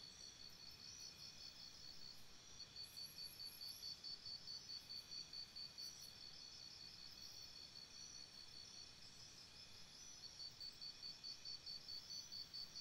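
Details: Night chorus of crickets beside a campsite: rapid high-pitched pulsing chirps repeating steadily, several callers overlapping into a continuous shimmering trill over soft background hiss.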